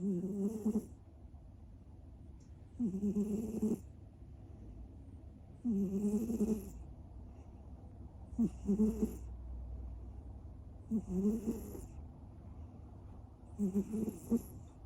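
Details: Snoring of a sleeping American Shorthair cat, a two-year-old male named Citrine that always snores in his sleep; rhythmic rasping breaths repeat about every two and a half seconds, each a short throaty burst over a steady low hum.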